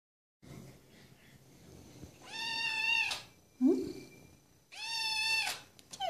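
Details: A three-month-old female seal point Ragdoll kitten gives two drawn-out, high, nasal meows, each rising slightly and then trailing off.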